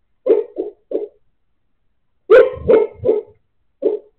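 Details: Sleeping Siberian Husky giving muffled, stifled barks indoors: a quick run of three soft woofs, a pause, then three louder ones in a rapid cluster and a final single bark.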